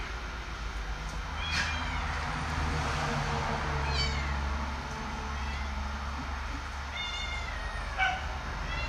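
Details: Cat eating bok choy: a few short, faint meows scattered across the clip over a steady low mechanical hum.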